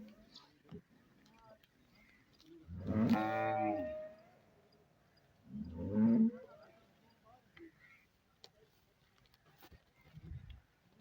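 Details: Sahiwal-Jersey cross cow lowing twice: a long, loud, harmonically rich moo that falls in pitch, then about three seconds later a shorter, lower moo; a faint low murmur near the end and scattered clicks between calls.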